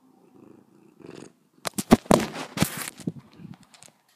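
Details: A domestic cat licking the camera up close: a low, steady purr runs underneath, broken by loud, wet licking clicks and short broadband smacks in quick succession near the microphone.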